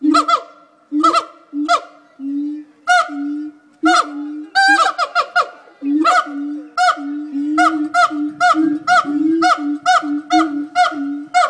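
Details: Siamang gibbons at Fota Wildlife Park, Cork Harbour, give their daily call, a rapid series of loud, honking barks, each a harsh nasal burst; the call carries about 5 miles.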